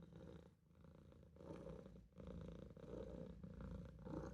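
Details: Maine Coon kitten Olof napping in a sink, purring; deep pulsing rumble with short breath pauses between phrases, close and steady.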